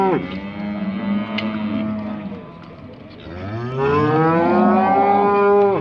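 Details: Heifers in the 18-month section being judged at the 2020 Montluçon show; cattle give long, droning moos, one lower and steady, then a louder rising and falling bellow, with faint hall background.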